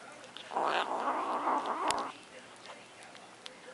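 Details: Luna, a pet cat, defends her macaroni and cheese with a single rough, throaty growl lasting about one and a half seconds, followed by a sharp click and quiet room noise.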